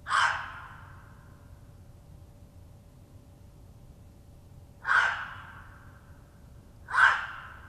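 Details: Territorial barking of a gray fox that scented a red fox's earlier visit: three raspy, explosive barks, the first alone, then two about two seconds apart after a long quiet gap with faint background hum.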